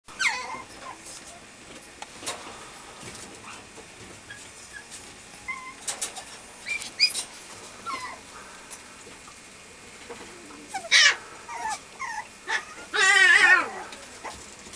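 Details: Male Mame Shiba puppy at a Japanese breeder, giving scattered short high whimpers, then a louder wavering whine near the end, with quiet room noise between calls.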